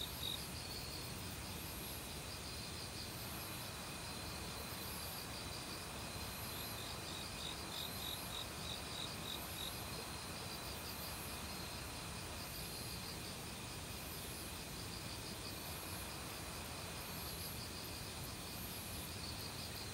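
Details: Crickets in an autumn forest join a mix of other insects in a continuous high chorus, a pulsed chirp repeating about three times a second for several seconds, all over a steady rushing mountain stream.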